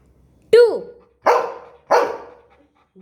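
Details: Golden Retriever indoors, being taught numbers, answers the owner's counting with a rising-falling whine-like yelp followed by two sharp, loud barks about half a second apart.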